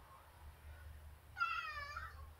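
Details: Simba, a house cat begging to go outside, gives one drawn-out harmonic meow lasting under a second, preceded by a low indoor hum and quiet speech.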